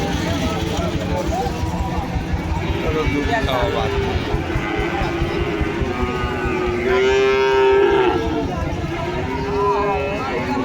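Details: Bull calves at a livestock market in Joypurhat, Bangladesh: one drawn-out, rising moo stands out near the end over constant crowd chatter and market bustle, with shorter lowing earlier.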